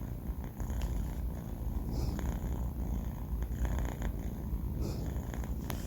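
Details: Banh Mi, a four-month-old male kitten, snoring while asleep: a steady, low rumbling drone without pause, with a few faint soft clicks and rustles over it in a quiet room.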